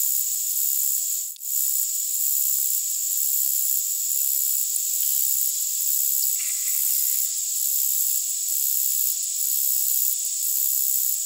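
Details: A short-winged meadow katydid (Conocephalus brevipennis) stridulates: a thin, very high, continuous hiss broken by soft regular ticks, at 10–20 kHz, boosted with EQ.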